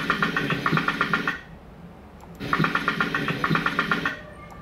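Rough-toothed dolphin echolocation clicks in two rapid, buzzy click trains separated by a brief pause.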